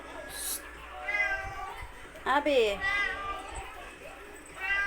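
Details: Domestic cat meowing for attention: a few drawn-out, arching meows, one sharper and rising then falling in the middle, with a person talking softly in Tagalog between calls in a quiet room.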